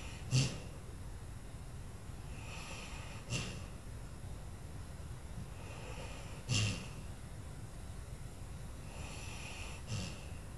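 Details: Old dog Lula dozing on Christmas, snoring quietly: soft snorts roughly every three seconds, each followed by a faint breathy hiss, against a low steady background hum.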